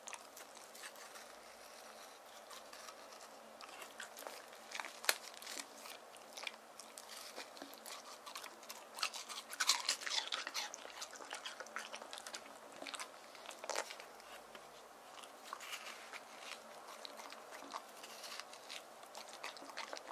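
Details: A male white terrier born in 2018 chews watermelon given to him in hot summer, making wet, crisp crunches and smacking bites in steady bursts.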